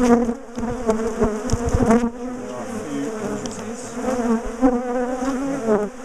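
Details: A big, defensive garden colony of bees being dismantled from a top bar hive: a dense, steady, low droning hum that wavers slightly, broken by sharp knocks and clicks of handling, heaviest in the first two seconds.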